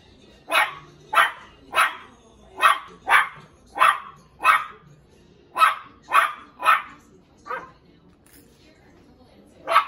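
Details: A Cairn Terrier puppy, seeing himself in a mirror, gives a run of sharp, high, yappy barks, a playful invitation to play.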